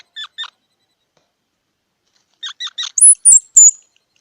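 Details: Squirrel sounds: two short chips, a pause, three quick chips, then three loud, piercing high squeaks in close succession.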